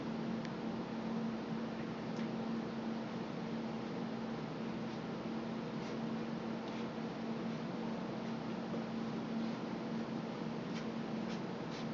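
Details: A steady hiss of room noise with a low electrical hum and faint ticks, with no animal voice heard.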